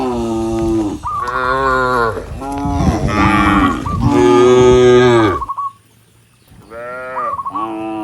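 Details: Tame cattle in a herd of dozens heading up a country road to the barn low loudly and calling to other cattle. Overlapping drawn-out moos, rich and throaty, fill most of the stretch before a brief quiet and more lowing.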